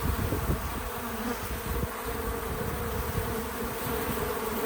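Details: Low, continuous hum of bees at a feeder, a dense droning buzz with faint wavering tones around the middle range, unbroken for the whole stretch with no other clear sounds.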